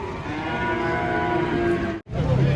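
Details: Cattle unloaded from a truck, a fallen animal left to get up on its own; a sustained, low, steady moo that breaks off abruptly near the end.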